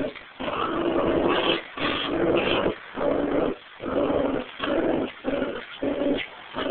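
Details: During tug of war between a Pomeranian and a mixed terrier, harsh rumbling growls come in steady bursts about half a second to a second long, separated by brief pauses, with an occasional higher whine.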